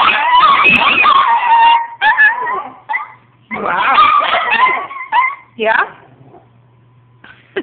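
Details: Chihuahuas in a household of eight dogs howling together on a Saturday afternoon, in wavering overlapping bursts separated by pauses, with human voices talking between the howls.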